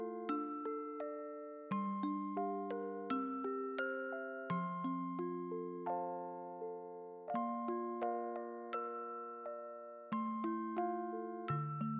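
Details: A gentle glockenspiel lullaby of bell-like struck notes plays in a slow, stepping melody, and no animal sounds are heard.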